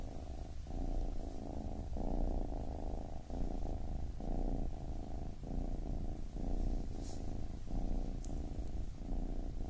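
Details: A baby kitten purrs continuously, the deep rumble rising and falling with each breath roughly every second, with a couple of tiny high clicks late in the recording.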